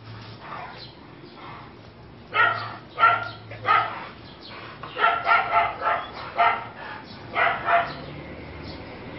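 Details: American Bully barking in short, sharp bursts, first singly about every half second, then a rapid run of five or six barks, ending with another short cluster; a steady low hum runs underneath.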